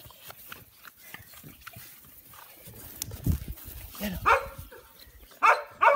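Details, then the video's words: American Bully puppies young enough to have no names yet, giving three short, sharp rising yelps in the last two seconds after a stretch of low rustling and handling noise. "American bully puppies"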